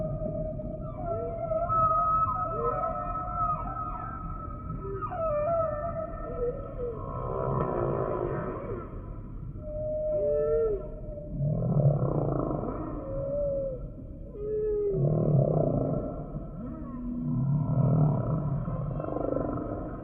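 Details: Varied humpback whale song: high upswept whoops, squeals and wavering cries alternate with low rumbling grunts in a rolling, repeating sequence, some phrases overlapping.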